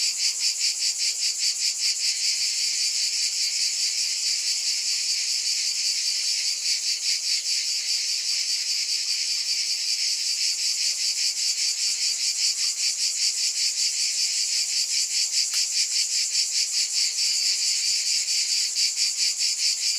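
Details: Long stretch of cicada buzzing, an intense high-pitched continuous drone with fast, regular pulsing throughout and no other animals or noises.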